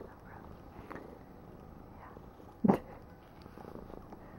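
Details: Female pet kitten purring softly indoors while being petted and brushed: a low, steady rumbling purr runs throughout, broken by one sharp click near the end.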